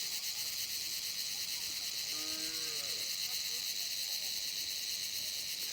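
A night insect gives a steady, shrill, high-pitched buzzing drone without pause.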